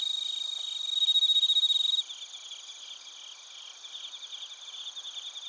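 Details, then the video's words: Chorus of bell crickets and other crickets in Narita, Chiba, Japan, captured with a TASCAM Portacapture X8. Loud, rapid pulsed trills lead for two seconds, then softer, overlapping high chirps carry on in uneven bursts. "スズムシとコオロギの鳴き声 - Chirping of crickets"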